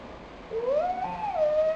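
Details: Pochi, a nine-month-old pet dog, cries out of loneliness on February 12, 2007: one long tonal whine that rises, wavers, then levels off, held for over a second against a quiet background.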